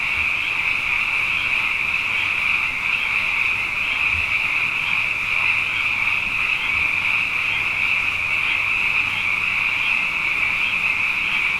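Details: On a Hawaiian night after two wet years, abundant frogs call together in a dense, steady, high-pitched chorus that never pauses.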